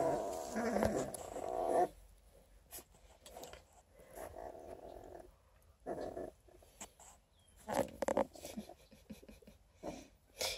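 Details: Newborn Coonhound cross puppies, Redtick crossed with Black & Tan, aged twelve days, near Kingston, Ontario, Canada: a two-second wavering whimper, then quiet stretches broken by short soft whines and shuffling noises.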